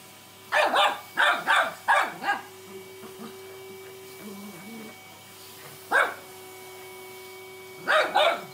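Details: Eric, a cockapoo puppy, reacting to a vacuum cleaner, unsure whether to fight or play with it: a quick series of four sharp yappy barks, a pause over a steady machine hum, then more barks.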